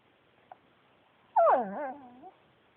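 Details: A single whining vocalization from Yuyu, a male Pekingese adopted from a shelter: a tap, then a loud, bending, moan-like whine that dips and rises again before trailing off.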